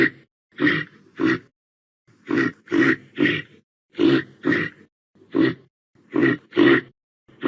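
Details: Reindeer calling with clipped hoarse grunts, often in close pairs, spaced irregularly with short silences between.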